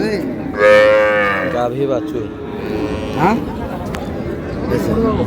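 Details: Milk cow with calf at Raniganj haat livestock market, Dinajpur, June 4, 2026: one loud, sustained, richly harmonic moo lasting about a second, then a short second call, over a murmur of market chatter.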